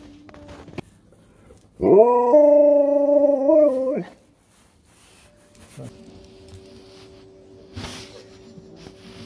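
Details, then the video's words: Dog named Sherpa in the UK vocalising at people, who answer back: a strong two-second moaning howl that steps up in pitch, holds, then dips and breaks off, with a faint steady tone and murmured voices after. "Dog speaks to people and they speak back"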